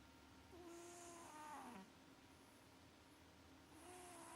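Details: Maxi the cat snores in deep sleep: a soft whistling nasal tone slides into a rasping, rattly breath, then a quieter whistle returns near the end; low constant background hum.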